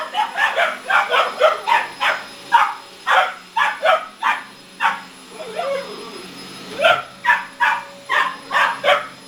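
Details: Pair of 17-week-old boxer puppies barking at a vacuum cleaner inside a home: repeated high, sharp barks in quick bursts, a brief pause with softer whining sounds midway, then barking resumes over a steady mechanical whine.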